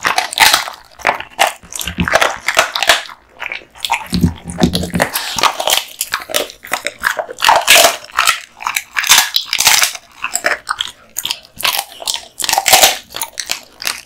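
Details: American Bully Kotetsu, a male, crunching duck spine jerky indoors: bright brittle cracks and moist chomping in quick rhythmic runs, a faint low thump near four seconds.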